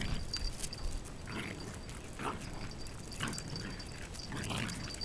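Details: A Shiba Inu (Canis familiaris), pestered persistently by another dog, finally fights back in play, giving short, rough play growls about once a second.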